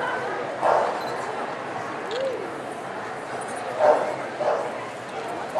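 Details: Barking poodle in Long Beach, 11 December 2008: a few sharp single barks spaced widely apart, one near the start and a pair toward the end, against constant hiss and faint human speech.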